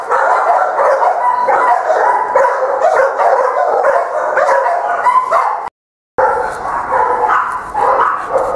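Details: Buddy, a four-year-old Boston Terrier mix at Baldwin Park, animal ID 4669596, gives steady dense vocalising for over five seconds, a short silence, then more of the same, with energy concentrated in the mid range.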